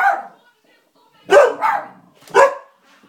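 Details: Two pet dogs barking at nothing in particular; a few sharp, rough barks, one at the start and a double bark then a single bark after a short silence, in a quiet room.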